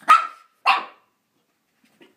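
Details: After being bathed, an angry Shih Tzu attacks its bath towel with two short, harsh growled barks about half a second apart. Faint handling noise follows.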